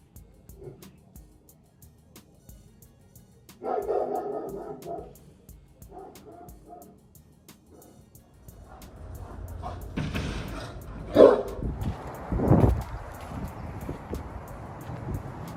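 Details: A young German Shepherd, a neighbour's dog kept since puppyhood about a year ago, barks in short, rough bursts, heard through a bathroom window, with a man talking and background music.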